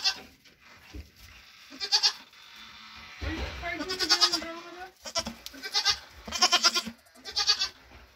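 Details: A mother Nigerian Dwarf goat (Capra hircus) with triplets born 18 June 2023 gives a series of wavering, nasal, fairly high bleats while getting her grain ration after hoof trimming.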